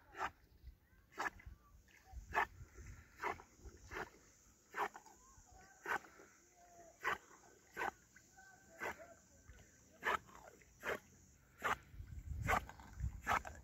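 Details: Golden Retriever Ljubica, nine years old, fetching a wooden stick by a lake. Her breathing comes as regular broadband puffs, roughly one every 0.8 seconds, while a person calls to her softly.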